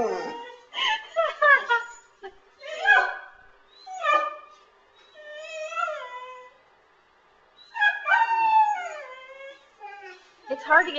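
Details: Saluki vocalizing because it wants to go outside: bursts of yodel-like whines and short howls that bend up and down in pitch, grouped into uneven phrases separated by brief pauses.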